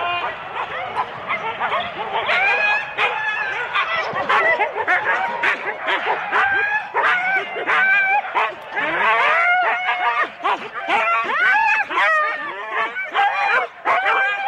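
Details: Huskies harnessed in four-dog sled teams at the start line in Rendlesham in January 2016 bark and howl nonstop, many dogs overlapping in a loud, steady wall of yips, whines and rising cries.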